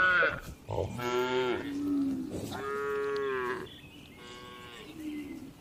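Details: Tame cattle relaxing inside a spacious livestock farm barn, several long harmonic moos in sequence, loud and overlapping, with a softer, lower moo trailing off at the end.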